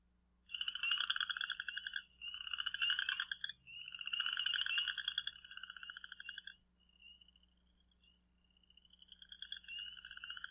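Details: Western chorus frog in Michigan in spring gives repeated rising, pulsed trills of one to two seconds, like a fingernail run along a fine-toothed comb.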